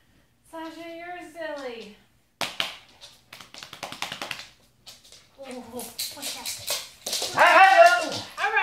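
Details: Pet Siberian Husky "singing" indoors: drawn-out, harmonic howls that slide downward, broken up by a person talking and some tapping noises between the calls.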